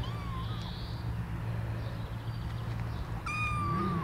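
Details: Baby kittens taken outside for their first taste of cat food pate. A short meow opens, and a clear, drawn-out meow holding at one pitch closes, over a steady low hum.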